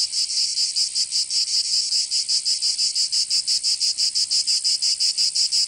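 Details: Cicada song in summer, Provence in the south of France: loud shrill buzzing beaten into quick pulses near three per second, continuous and bright.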